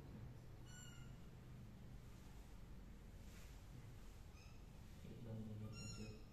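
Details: Tuxedo kittens decorated with beads, walking around: three thin, high meows with harmonic overtones, one near the start, one midway and one near the end, over a steady background hiss.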